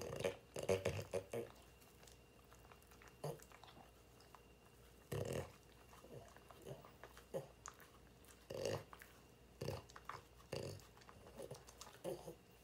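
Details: French Bulldogs indoors, sampling a surprise menu of dog-safe snacks such as cucumber, cabbage, celery, dried pollack, peanut butter and mandarin: crunchy chewing and biting bursts in irregular clusters, loud near the start, with quiet pauses between.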